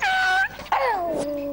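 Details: Beagle howling: a steady tonal note held about half a second, then after a brief break a long harmonic wail that slides downward in pitch and settles into a lower sustained tone.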